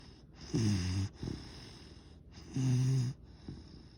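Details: Yellow Labrador Retriever puppy asleep, giving two loud, low rumbling snores about two seconds apart, each followed by a brief softer breath, with a faint steady hiss in the background.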